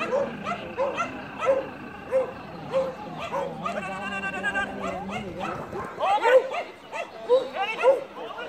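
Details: Beagle doing fast agility moves, giving a run of short high yips and barks roughly every half second, with a brief busier stretch of mixed noise in the middle.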